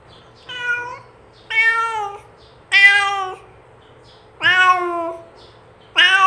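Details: Real cat meows meant to attract other cats closer; five loud, rich harmonic meows, some rising then dropping in pitch, each under a second, repeated about every one and a half seconds against faint background hum.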